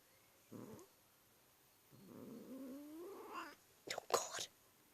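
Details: Domestic cat making a weird noise: short low murmur, then a longer rising, wavering whine, ending in sharp bursts of breathy sound.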